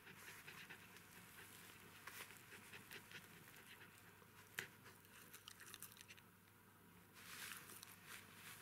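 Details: Newborn Jack Russell Terrier puppies, a litter of three females and one male, breathing in soft, breathy, irregular panting bursts. Quiet, hissy background, with a few sharp clicks and a brief faint rustle near the end.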